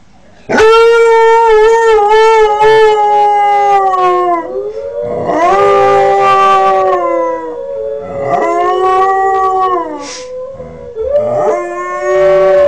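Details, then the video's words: Kodiak, a 5-month-old Northern Inuit dog learning to howl, gives long tonal howls with rich harmonics, several rising then sliding down, broken by short pauses and wavering breaks. "Julestar Northern Inuit howling"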